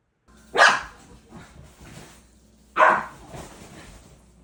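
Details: Puppy barking indoors: two sharp, loud barks about two seconds apart, each followed by a softer trailing huff, with a low steady hum in the background.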